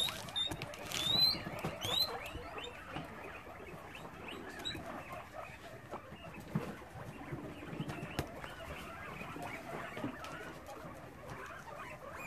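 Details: Guinea pigs at an Australian rescue sanctuary in Brisbane, heard at evening time, make a few sharp upswept squeaks early on, then softer scattered chatter, shuffling and pattering noises.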